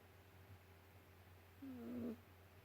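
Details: Ragdoll kitten snoring while napping on a couch after a long day of play: one thin, squeaky nasal whistle lasting about half a second over a steady low household hum.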